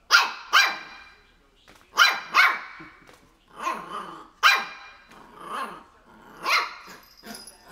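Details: Mimma, a three-month-old Shih Tzu puppy, barks indoors at a pair of crocs; high, sharp yaps come in pairs and short bursts, mixed with small growls, roughly every one to two seconds.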